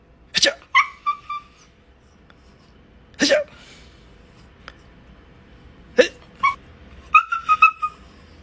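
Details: Pet dog Kylo during playful one-inch punch teasing: snorting bursts spaced a few seconds apart, each trailed by brief high nasal whines, with a final cluster of quick whimpering notes; no other sounds stand out.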